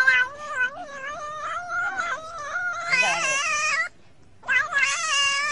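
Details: Talkative cat in a funny compilation keeps up a wavering, rising-and-falling yowl for nearly four seconds, falls silent briefly, then starts another strained, drawn-out cry.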